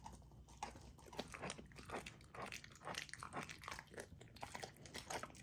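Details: Female Golden Retriever puppy chewing a raw, partly frozen dinner indoors, a dense run of crisp crunches, licks and wet smacks several per second.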